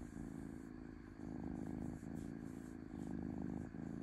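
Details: Gentle rumbling purr of a domestic cat, low and buzzy, pulsing in stronger and weaker phases about every second and a half.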